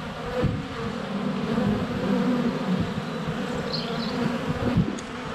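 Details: Honey bees in flight at a hive entrance on a sunny February day, filmed up close with a GoPro Hero 7 Black; a dense, steady droning hum with individual bees passing, bumps as some land on the camera, and faint high bird notes.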